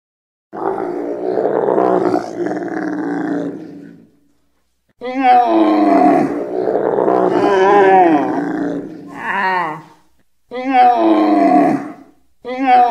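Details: Camel bellowing: long, hoarse, groaning roars with a gurgling, rasping quality, the first about three seconds long, then a longer wavering bellow rising and falling, followed by shorter guttural bursts separated by brief silences.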